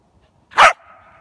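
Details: Corgi named Willie, coaxed to come down from a height, gives one short, sharp bark with a faint tonal tail fading after it; otherwise quiet surroundings.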